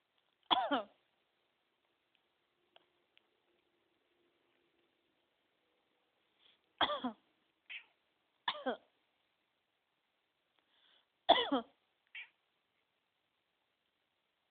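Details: Jasper the cat meows each time its owner coughs: short harsh coughs are answered by brief high meows, in three cough-and-meow exchanges in a quiet room.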